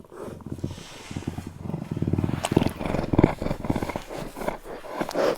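A Eurasian lynx gives a low, rough, pulsing growl that swells in strength.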